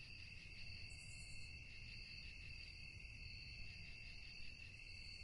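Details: Crickets chirping at night: a steady, continuous high trilling in two bright bands, unbroken for the whole stretch, with a low rural background rumble and a brief fainter high buzz near the start.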